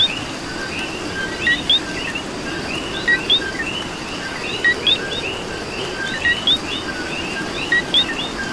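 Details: Coqui in Puerto Rico during rain, giving its two-part call, a low clipped note then an upswept whistle, roughly every one to two seconds against a thick background chorus of chirps and constant rain noise.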